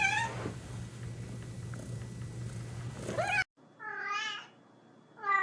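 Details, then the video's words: Kitten-like meows set in a noisy, humming indoor background, with a rising meow after a sudden cut and another bright meow at the very end. "Funny Cats sound"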